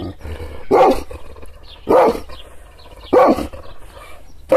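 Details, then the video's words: Provoked, angry Kangal shepherd dog gives slow, heavy barks roughly every 1.2 seconds, each bark deep and forceful, with quiet low rumbling in between. "Yırtıcı kangal köpeği anadolu aslanı çoban köpeği kızgın köpek havlamasi urmesi sesleri"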